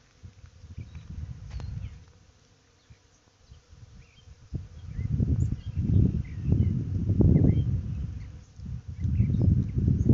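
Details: Many honey bees busily work a white-blossomed tree on a sunny, warm spring day, a loud, deep, steady drone rising and falling as individuals pass close, with faint wind rumble and a few distant chirps.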